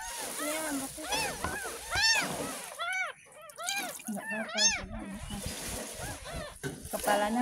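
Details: Repeated thin, arching mews from a ten-day-old kitten at its first bath, about one every second, with water splashing, a child's voice and quiet speech in the background.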